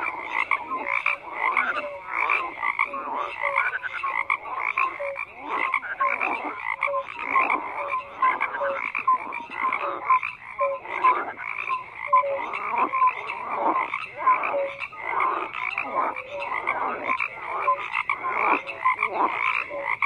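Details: Many frogs croak together, rhythmic raspy bursts overlapping with repeated short whistled notes at a lower pitch, the chorus steady and dense for the whole stretch.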